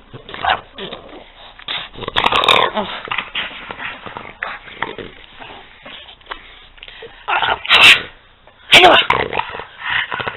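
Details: Two pet dogs, Peanut and Daisy, playing together indoors: rough, gravelly growls and short yips come in uneven bursts, with louder scuffling peaks near the end and occasional people's voices in the background.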